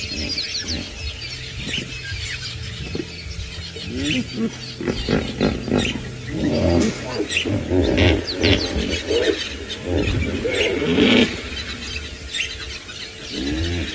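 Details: At sunrise around 5 AM on January 10, 2018, on a cold morning at a dam in Djuma Game Reserve, Sabi Sand, South Africa, hippos give deep wheezing grunts and rhythmic honking bursts, with birds chirping faintly.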